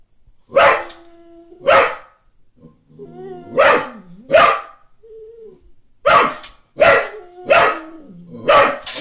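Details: Brittany bitch barks to rouse a cat sleeping on the next-door lawn. Loud, broadband woofs come in irregular bursts, pairs then a run of four, and a thin rising and falling whine fills the gaps.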